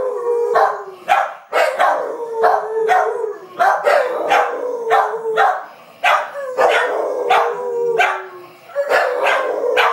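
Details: Steady dog howl holding a drawn-out tone that slowly sags in pitch, repeatedly cut by loud abrupt barks roughly every second or two.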